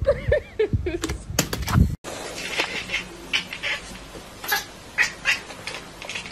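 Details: Kitten from a compilation of baby cats gives a rapid run of short, high, wavering mews in the first second, then loud thumps and clatter, followed by a hissy, noisy background with faint scattered chirps.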